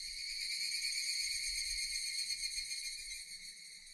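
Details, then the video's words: Japanese cicadas heard in a relaxing nature scene, a steady high-pitched electric buzz that holds without pause, slightly pulsing, easing a little in loudness toward the end. "Japanese cicadas Sound effect"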